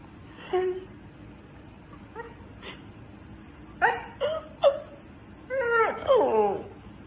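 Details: Siberian Husky reacting to being mocked, short scattered whimpers and yelps over a steady background hum, ending in a louder, drawn-out, wavering whine that slides downward.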